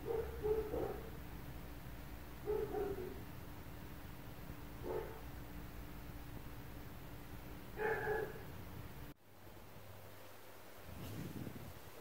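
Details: Apartment neighbours' dogs at 4 a.m. give spaced single and double barks every two to three seconds, faint and mid-pitched against a steady hum, before the background drops sharply and a low rumble follows.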